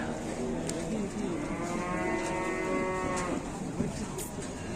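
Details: A young calf running wild and charging about, giving a long drawn-out moo with stacked harmonics that rises and falls over about two seconds, with a steady low background hum and faint clicks.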